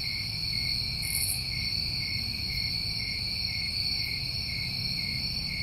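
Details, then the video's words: Crickets in New England summertime sing a dense, unbroken high-pitched trill; a quick hissing high burst sounds near the first second, over faint low background rumble. "Over 1 Hour Of Tinnitus Masking With Crickets"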